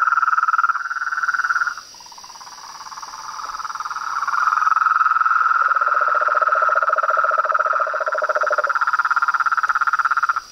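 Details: Nightfall chorus of toads, frogs and treefrogs at a pond beside a veranda: fast, rattling pulsed calls overlap continuously, dipping briefly near two seconds, with a deeper pulsed caller entering mid-clip over a constant high-pitched background drone.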